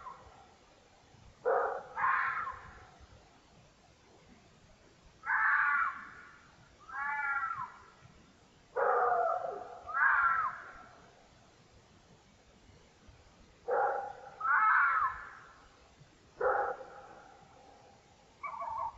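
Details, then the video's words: A red fox, recorded by a trail camera during the rut, gives harsh, raspy screams about a second long, with pauses of a few seconds between them; it is not in pain. "LE CRI DU RENARD / Scream of the red fox"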